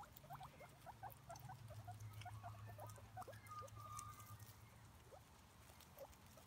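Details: Five guinea pigs (cavies) grazing on grass outdoors make soft, rapid, clipped chuts over a low droning hum, with one brief higher tone midway.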